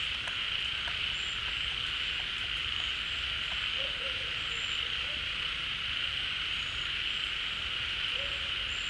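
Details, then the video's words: Frog chorus at a pond as rainy-season water fills it, the animals gathering to call noisily together. A constant shrill buzzing wall of sound, with brief low warbled croaks midway and near the close, plus faint ticks. "เสียงฝูงกบร้อง Relaxing Sounds of Frogs, カエルの音, 青蛙的聲音"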